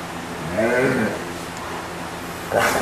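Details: Max, a German Shepherd getting towel dried in November 2012, gives one short wavering groan-like moan, followed by a brief rustling burst near the end.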